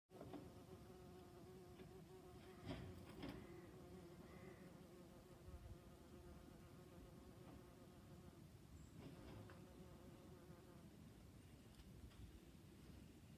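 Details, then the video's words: Honey bee recorded on September 8th, 2019: a steady, low, droning buzz with rich overtones that holds throughout, briefly swelling and fading as the insect shifts, with a few soft clicks and knocks. "Honey Bee"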